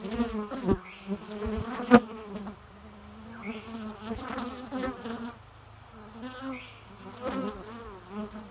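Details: Bees drone continuously, their low buzz wavering in pitch as they pass closer and farther, with a few sharp taps early on and pulses of louder humming.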